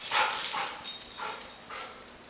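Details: Airedale Terriers, Max picking on Gabi: several short yapping barks spaced about half a second apart, fading in loudness toward the end.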